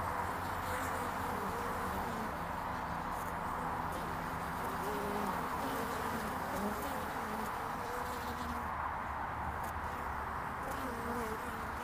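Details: Honeybees flying around the landing board of hive Furzeleigh L3 on 22 February 2019, early spring; overlapping low droning buzzes drift up and down in pitch as bees pass, over a steady hiss of background noise.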